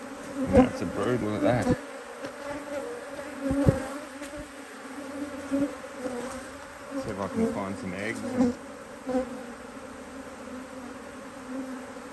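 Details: Honey bees at an Australian-designed Hive IQ beehive, opened in mid-Autumn 2023 in Australia to add a box of empty frames after a run of fine weather. A steady droning buzz with a low hum, joined by bursts of other voice-like sounds.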